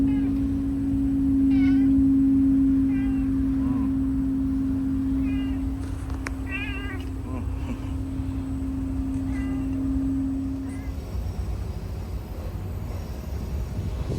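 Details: Street cats of a Fukuoka neighbourhood in Japan, met after a typhoon blew through. Repeated thin, quavering meows spaced a second or two apart, one louder trembling call near the middle, under a continuous low hum that stops near the end.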